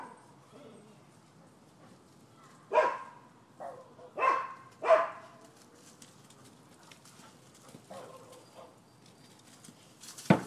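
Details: Neighbors' dogs, filmed 12/7/15 as nuisance barking: three loud barks stand out in the middle, with a few softer barks after them over quiet background noise and a sharp knock at the end.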